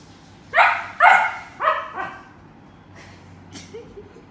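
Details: Domestic dog barking at a squeak toy, four loud, sharp barks about half a second apart that weaken toward the end, followed by faint, softer sounds in a quiet indoor setting.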